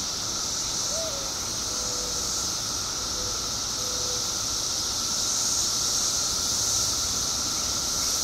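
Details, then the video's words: Illinois periodical cicada emergence after 17 years underground: continuous piercing chorus with a steady lower whine, plus a few faint short tonal squeaks early on, the chorus swelling slightly toward the end. "Billions of Periodical Cicadas Emerge After 17 Years Underground Cicadas Making Noise Illinois State"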